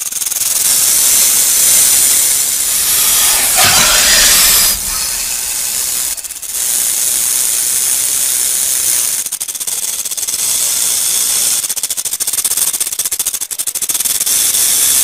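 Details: Rattlesnake rattling: a continuous, dry, high-pitched buzzing hiss lasting the whole stretch, with a brief louder surge near four seconds and fine pulsed flutter in places.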